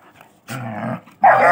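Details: Dog fight, German Shepherd attacking a Labrador puppy: a low, rough rumbling growl lasting about half a second, a short pause, then a sudden loud, harsh snarling burst.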